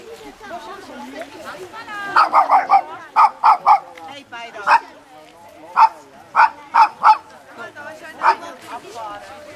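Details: Tibetan Spaniel barking at a TSCS club meeting, Rabten Choeling on Le Mont Pèlerin: bright, yappy barks in quick runs of three or four, pausing and resuming, over background chatter from people.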